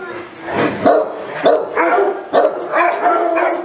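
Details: Saint Bernard dog giving four or five heavy, rough barks at an uneven pace of roughly one per second, each bark a broad, throaty burst.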